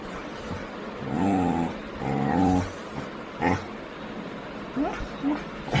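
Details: Labrador Retriever at Arakkonam giving two drawn-out, whining growls with a wavering, harmonic tone in close succession, followed by shorter soft yips and whimpers, with slight background noise.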